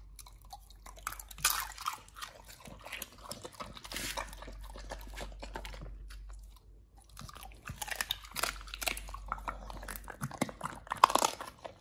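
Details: Pit Bull named nomyen eating a raw feeding meal of sole, silver pomfret, Indian mackerel, duck feet and quail eggs, with wet crunching and chewing bursts, bones cracking in irregular clusters, quieter pauses between bites, steady low hum beneath.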